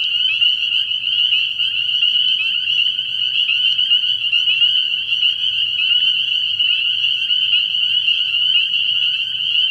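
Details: Spring peepers calling at night from a frog pond early in the year: a dense chorus of shrill, high peeps merging into one continuous ringing trill, steady throughout, with a faint low hum underneath.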